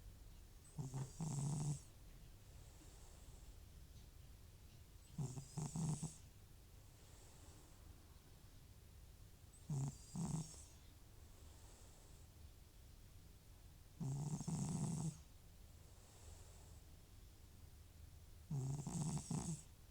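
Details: Sleeping elderly cat Butcher, FIV-positive, whose snoring returns when his nose-and-sneeze medication ends. Five loud, gravelly snores come roughly every four to five seconds, each a double rasping burst, with soft breathing between them.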